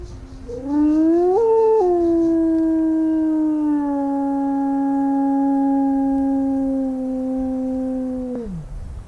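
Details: Recorded howl of a single grey wolf, broadcast through an amplifier and horn at night during summer wolf-howling monitoring to prompt replies from packs. One long, smooth howl rises, steps down, then holds steady for several seconds before falling away.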